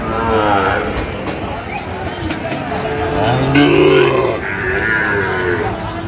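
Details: Sahiwal bull calves at Ambari livestock market, Comilla, Bangladesh, on 1 September 2025. A deep, short moo stands out near the middle amid loud crowd chatter, buyers and sellers haggling, and general market bustle.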